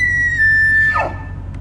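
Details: A big bull elk in a Colorado mountain town, after jumping over a fence, bugles with a high, pure whistle that slides slightly down and breaks off.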